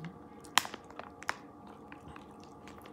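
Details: Soft chewing and a few sharp clicks in a quiet indoor room, with no animal call.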